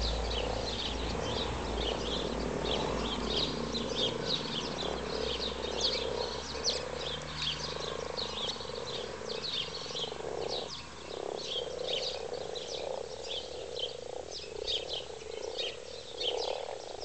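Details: Frogs mating in a wildlife garden pond, calling together in a dense chorus: a steady low purring drone overlapped by many rapid, irregular croaks, with no pauses.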